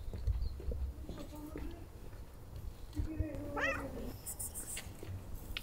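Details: Male domestic cat being petted and seeking attention: soft low rumbling pulses at the start, then a drawn-out meow around three seconds that rises and bends upward, over quiet background noise.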